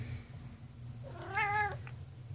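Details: Domestic cat with a loud mouth yelling at its owner indoors, as it does every day: one short, strained, harmonic-rich meow lasting under half a second, slightly wavering, amid quiet room hum.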